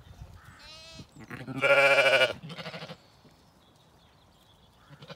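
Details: Evening on an Irish regenerative farm in County Kilkenny: Zwartbles lambs, BigEars included, call while ewes eat their meal. A thin wavering bleat is followed by one loud, broad, harmonic bleat of under a second, then a softer one over faint chewing noise.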